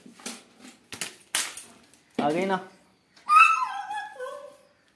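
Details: Kittu, a female Siberian Husky indoors, turns excited after hearing she will go out for a walk to the garden: a high, drawn-out whine slides downward and wavers, following a man's speech and some knocks and clatter.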